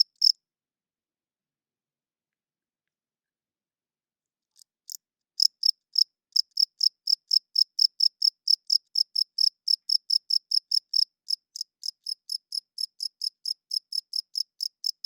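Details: Night chirping of a cricket: one chirp, a few seconds of silence, then a long, steady run of high, pulsed chirps about four per second that fade slightly toward the end.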